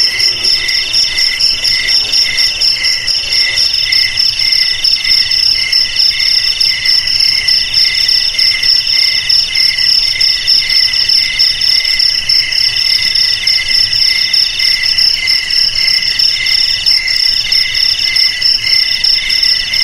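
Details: Steady shrill cricket song used to repel rats at home or in rice fields: dense high pulsed chirps with a slower swell roughly once a second, several insects overlapping, no other sounds.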